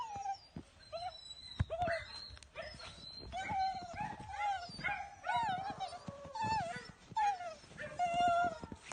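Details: A 12-week-old male German Shepherd pup whimpers in a string of high, wavering, sliding whines, roughly one every two seconds, some curling upward into yelps, over light clicks and knocks.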